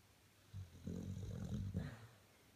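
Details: A 13-year-old male Staffordshire Bull Terrier snores in his bed with a deep, rumbling rattle on a single long breath.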